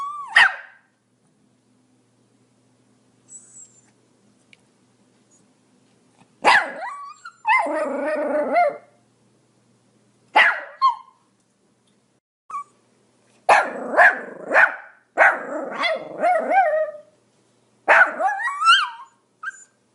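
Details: Pomeranian barking: scattered sharp, high yappy barks. Long silent pauses come first, then quicker bursts of two or three barks toward the end, some trailing into a whine.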